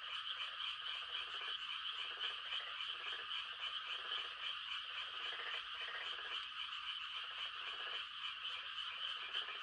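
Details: Rural Korean night during rice-planting season: a dense frog chorus, possibly tree frogs giving mating calls, of rapid, overlapping croaks and trills filling the air without pause.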